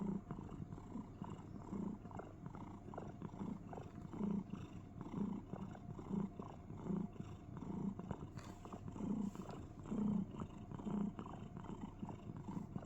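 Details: House cat cuddling in a box produces cricket-like sounds: a low vibrating purr with stronger rhythmic pulses roughly once a second, soft rustling in the background.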